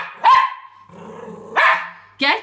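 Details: Schnauzers playing and wrestling indoors give three sharp, loud barks about a second apart, the first trailing into a steady whine-like tone, with quiet rumbling between barks.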